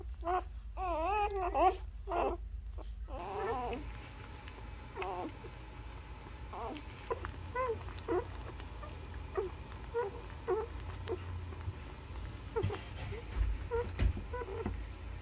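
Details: Newborn Labrador Retriever puppies nursing on their mother, giving high wavering whimpers and squeals, a loud burst in the first three seconds, then short scattered squeaks over a steady low hum.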